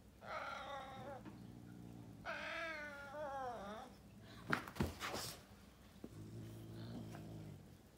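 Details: Caracal fighting a serval: two drawn-out, wavering harmonic yowls in the first three seconds, then a sharp burst of scuffling, followed by a low rumbling growl.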